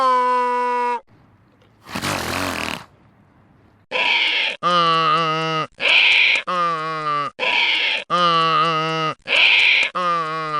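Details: Loud donkey bray: after one long tonal note and a short noisy breath, a rapid run of alternating harsh honks, each under a second, repeats steadily, rasping and strained, described as unique, loud and unpleasant.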